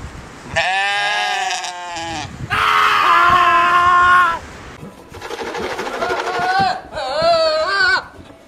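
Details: Screaming goats: four loud, drawn-out, harsh bleating screams, each lasting about a second, strongly harmonic, some wavering and rising at the end, separated by short pauses.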